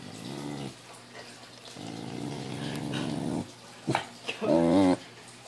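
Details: A female pet Pembroke Welsh Corgi, upset by a balloon, gives a sustained low rumbling growl lasting nearly two seconds, then a short high whine near the end, with a person talking to her.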